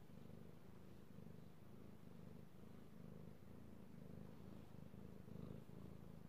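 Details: Petted house cat Io purring, recorded 3/16/18; low, buzzing rumble runs unbroken with gentle rhythmic pulses of inhale and exhale, nothing else prominent.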